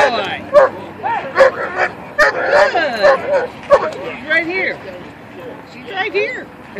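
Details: Attack-training session with a male German Shepherd on 6 April 2013; a string of gruff barks in the first half gives way to quieter sounds, while people talk and give commands throughout.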